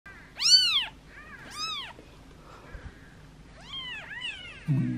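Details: Two-day-old newborn kittens from a litter of seven, hand-fed and cleaned beside their mother: high, arching meows, two close together then a pair near the end, with a brief low rumble at the close.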